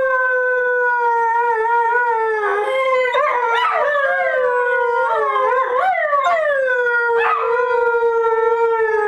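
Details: Two pet whippets, Max and Jake, howling together on request at home: long, steady, clear-toned howls held at one pitch, with a second voice breaking in with wavering, bending notes midway, continuous throughout.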